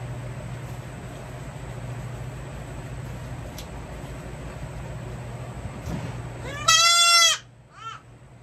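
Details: A young goat under hoof trimming lets out one loud, bright, quavering bleat lasting about half a second, then a brief softer follow-up, after several seconds of quiet low hum.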